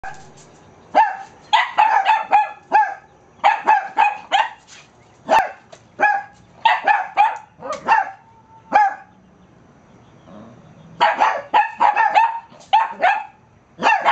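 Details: At a dog daycare in the morning, a 5–6-month-old male Cavalier King Charles Spaniel puppy and a 16-year-old female Toy Poodle hold a barking contest, trading rapid, sharp, high-pitched yapping barks.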